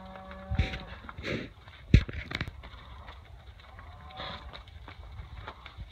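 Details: Hereford heifers from Monahans Ranch lines during spring calving, which starts March 1: a short low harmonic lowing call in the first second, a second drawn-out call near four seconds, with scattered thumps and clattering between them.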